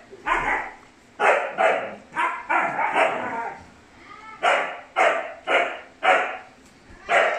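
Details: Four Siberian Husky puppies, woolly brothers, give a run of short, high, yappy barks and yips in quick bursts.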